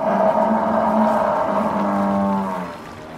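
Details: Single loud, sustained bellow from a wild buffalo in its savannah habitat, rich in harmonics and held steady for about two and a half seconds before fading.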